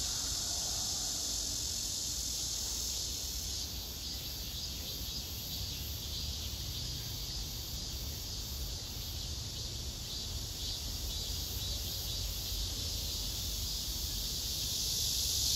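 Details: Male cicada singing to court a female below him that backs off; a softer sustained shrill buzz, swelling slightly near the end, over low rumbling background noise.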